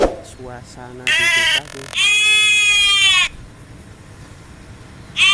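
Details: Goats eating in a village as a woman talks to them: a short, nasal bleat, a pause, then a longer, even bleat of over a second, with a new bleat starting at the end and murmured speech at the beginning.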